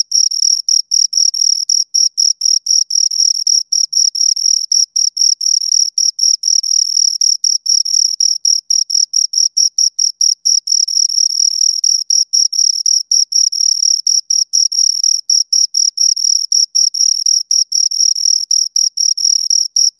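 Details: Two crickets keep up a long run of sharp, high chirps, pulsed bursts packed closely with uneven short pauses, steady loudness throughout, quiet background.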